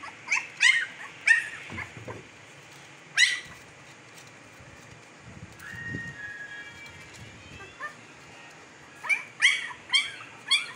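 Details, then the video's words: Fifteen-day-old Siberian Husky pups from Pakistan, eyes just opened and blue; clusters of shrill yelps and squeals at start and end, a long thin whine in between, with low handling thumps. "Jay-c puppies are 15 days old today and they have opened their eyes l eyes color is blue"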